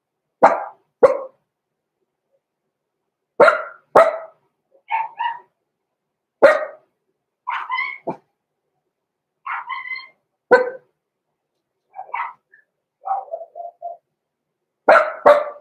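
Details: Roman and Blue, six-week-old blenheim Cavalier King Charles Spaniel puppies born November 14, 2022, bark repeatedly in a home puppy pen: sharp barks, often in pairs, mixed with higher squeaky yips over about fifteen seconds.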